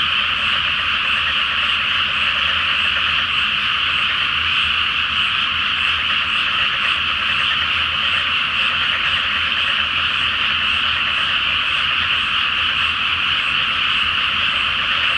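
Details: Night chorus of many frogs in a flooded paddy field awaiting rice planting, full moon overhead; countless croaking voices merge into a continuous, even buzz-like roar that never pauses.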